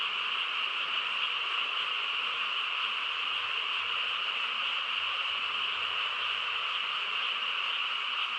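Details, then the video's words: Frogs chorusing on a quiet countryside night: a dense, unbroken wash of overlapping croaking trills, steady throughout, with no pauses and no other clear sounds. "고요한 시골 밤에 개구리 합창 소리"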